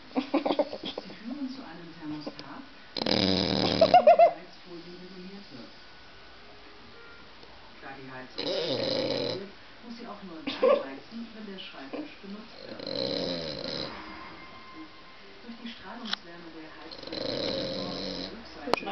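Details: Elvis, a sleeping French Bulldog, snoring while people laugh: loud, rough, broadband snorts come about every five seconds, with softer wheezy breaths and voices in between.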